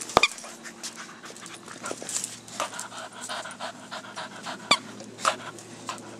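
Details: Bella, a blue Staffordshire Bull Terrier, choosing between her Kong Wubba Rabbit and a new Halloween Kong Wubba Vampire toy; quick breathy panting puffs continue throughout, with sharp squeaky-toy chirps near the start and again near the end.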